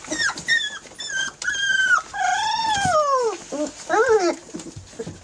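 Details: Airedale Terrier puppies, 18 days old, from the E2 litter, crowding their mother Lisa for milk; loud whining whimpers with clear harmonic, arching and falling cries, several overlapping in quick succession.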